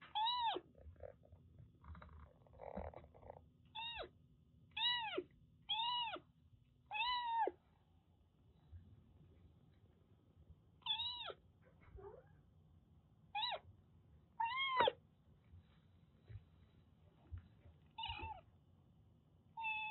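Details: ['Rescued Siamese mix kitten in Kagoshima, Japan, giving short, clear meows in bursts, the first five close together, then scattered single calls after a quiet stretch, with a low hum early on and faint handling noises.']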